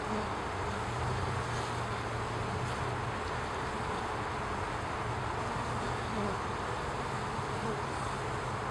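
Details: Honey bee; waggle dance buzz; waggle dance telling hive mates where food is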